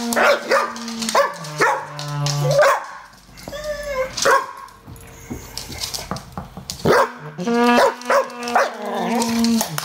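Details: Koja, an English Bull Terrier cross Staffy, gives a run of high, yelping barks and drawn-out, wavering yowls, seemingly unimpressed at being teased with a new garden hose.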